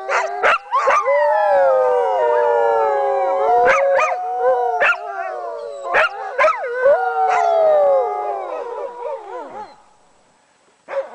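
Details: Sled dogs howling as a group, long falling and wavering tones layered over each other and broken by short sharp yelps and clicks, the chorus fading out near the end.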